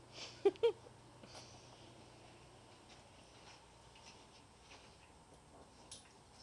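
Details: Shih Tzu/Pekingese mix puppies playing indoors give two quick, sharp yips in close succession near the start, followed by soft clicks and scuffling of paws during the play.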